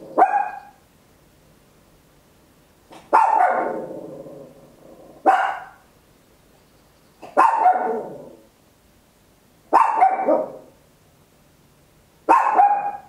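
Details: Tiny Papillon dog giving loud, shrill barks at home, stereo recording from an Olympus LS-11; six barks come about every two seconds, some clipped and short, others stretching into a drawn-out rough yelp.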